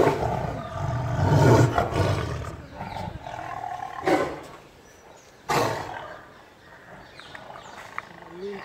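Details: In a zoo, a tiger very near gives a deep, rumbling roar at close range, followed by a few sharp knocks.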